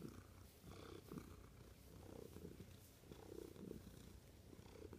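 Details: Close, continuous cat purr, a deep vibrating rumble that swells slightly with each breath, steady throughout.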